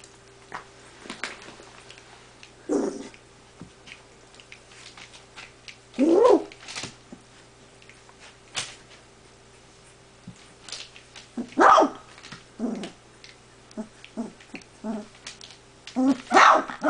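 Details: Spartacus, a big pale dog, barking while puppies play, sharp scattered barks and yelps around three, six, twelve and sixteen seconds over quiet indoor background with a steady hum.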